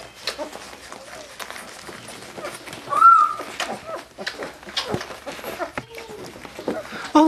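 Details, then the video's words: Labrador Retriever puppies just over two weeks old, gaining weight fast beside their mother. Several thin whines come through: a sharp squeal rising and falling midway, then a lower drawn-out whine, over a person talking and rustling. "Giggling Labrador Retriever puppies??"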